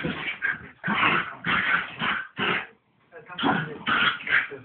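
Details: A pair of pet dogs play fighting, giving loud, gruff barks and snarls in dense clusters, a clear pause of silence after the midpoint, then another burst of rough barking; recording sounds boxy and limited.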